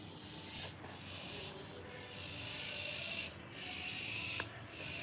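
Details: Several cicadas on a passion fruit plant leaf give a dense, hissing high buzz that swells for a few seconds then drops abruptly, surging unevenly with faint clicks; said to call when mating, chickens nearby.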